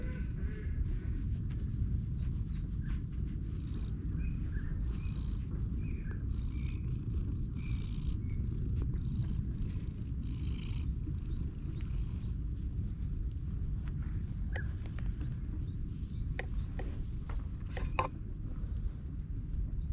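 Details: Stray cat being petted outdoors, content at first before later attacking with claws and teeth; a continuous deep rumbling purr fills the recording, with faint scattered higher chirps and rustling above it.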